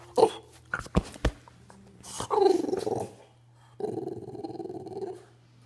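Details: A French Bulldog throws a fit after its ball rolled under the couch: a few sharp thumps, then long, rough, grumbling whines of frustration.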